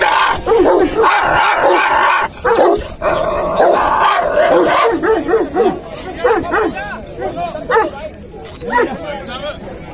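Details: Aggressive Dogo Argentino barking in repeated harsh bursts, several per second, with growling yips toward the end, a person urging it on with spoken encouragement throughout.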